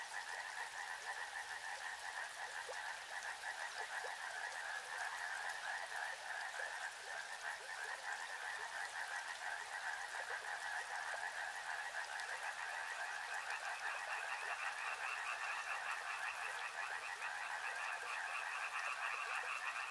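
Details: Soothing chorus of many frogs calling together beside a river, a dense continuous pulsed croaking in two bands, lower and higher, with the upper band rising in pitch partway through; steady background hiss of flowing water.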